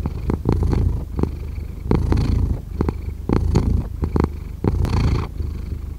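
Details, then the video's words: Close purring of a cat, low vibrating rumble rising and falling in rhythmic bursts roughly every second and a half, with soft clicky breath noises. "5 Hours of Cat Purring"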